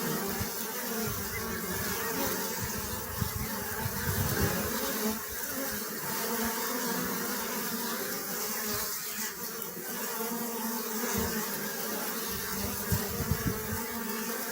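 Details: Steady droning hum of honey bees, full and low-pitched with a rough buzzy texture, unbroken for the whole stretch with occasional small bumps in loudness.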